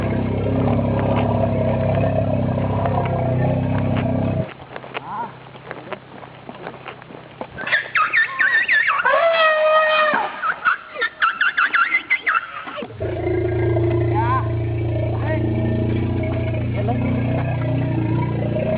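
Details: Pumpuang, a female Asian elephant, calls out in fear on her way to a bath with her step-son Boomlong, 27 September 2012. High, wavering squeals fill the middle stretch, set between long spells of loud, steady engine drone.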